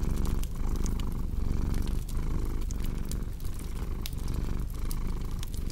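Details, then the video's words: Domestic cat purring in a low, steady rumble broken by short breath pauses about every second, with sharp crackles and pops from a fireplace scattered throughout. "Purring Cat"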